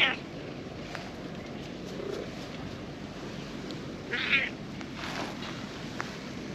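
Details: A calico cat being petted on a park lawn as other cats come over; one short, high, tonal meow rises near the four-second mark over steady rustling and soft outdoor background noise.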